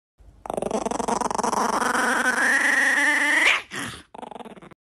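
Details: Chihuahua giving a long, pulsing whine that climbs steadily in pitch for about three seconds, ends in a brief squeak, then a shorter, lower grumbling whine follows.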